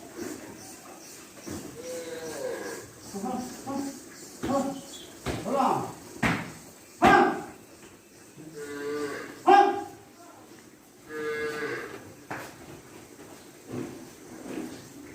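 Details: Cattle at a farm, a few drawn-out moos among bursts of people's voices and knocking noises, the calls short and partly covered by speech.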